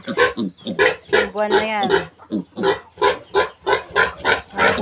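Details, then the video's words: Weaning piglets from a new sow produce a series of rough, noisy grunts, roughly three a second and uneven in spacing, with a person's voice breaking in briefly partway through. "Pagwawalay ko sa mga biik ng bagong inahing baboy"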